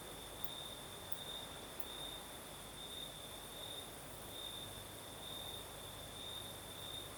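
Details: Crickets singing at night in the south of Crimea during a night breeze: a steady, high, shrill trill at one pitch, swelling in brighter pulses roughly every second, with a fainter higher tone above and a broad hiss of breeze.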